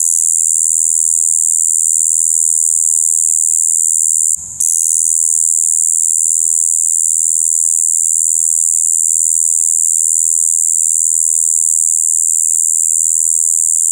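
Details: Spring breeding song of a Shibuiro kayakiri katydid, filmed 2 April 2023: a steady, droning high buzz held without change, briefly dropping out for an instant near the middle before resuming just as evenly.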